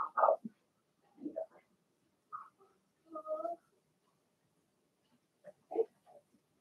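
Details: Blenheim Cavalier King Charles Spaniel puppies from a six-pup first litter, born March 7–8, in an indoor home puppy pen: short whining whimpers and soft grunts in scattered bursts with quiet gaps between them.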